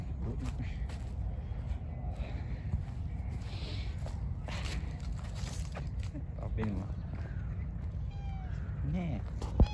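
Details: Hungry stray cats living in a park, coming for wet food; a few short rising-falling meows near the end over steady low rumble, footsteps and people talking in Turkish.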